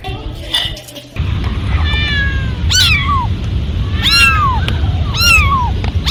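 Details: Cats and kittens meowing: several short, high meows that each fall in pitch, repeated about once a second, partly masked by steady low rumbling background noise.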